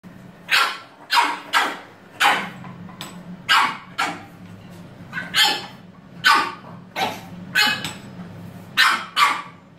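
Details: A French Bulldog, apparently disputing who was in the bathroom first, gives a steady run of short, sharp barks, roughly one each second.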